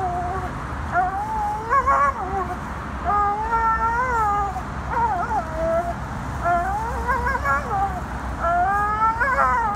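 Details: Tank, an American Staffordshire Terrier, whines repeatedly during an autumn spell of agitation outdoors: about six high, quavering whines, each rising then sliding down, coming every second or two against a constant low background hum.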